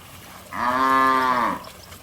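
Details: Cattle frolicking in a muddy field give a single full-throated moo lasting about a second, steady in pitch with a slight fall at the end, against quiet background.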